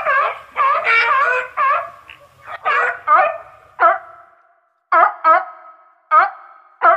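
Seals or sea lions give loud, harmonic barking calls, first in a quick run, then in spaced single bursts.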